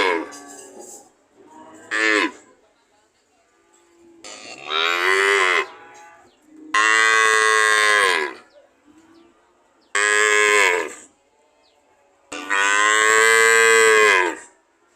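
A cow gives a series of long, loud, droning moos with rich harmonics.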